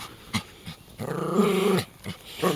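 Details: Jack Russell Terrier growling while playing tug, one of two Jack Russells in the home: a low, steady rumbling growl lasting about a second, framed by short scuffling noises, with a woman speaking Latvian and urging the dog to let go.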